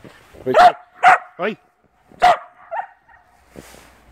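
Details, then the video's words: Puppy playing in snow for the first time: a few loud, sharp barks and yips with people talking nearby and a short gap between bursts. "puppy playing in snow for first time"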